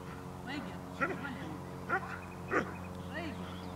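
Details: A dog named Cola, offspring of Figo vom Nordteich and Tulpi, barks during a training session on 5 May 2015. Three short, sharp barks come roughly a second apart over people talking and a steady low hum.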